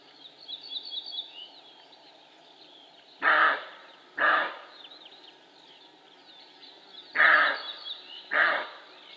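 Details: Male roe deer barking: four harsh, hoarse broadband barks in two pairs, each pair about a second apart with a gap of nearly three seconds between pairs, over soft background birdsong.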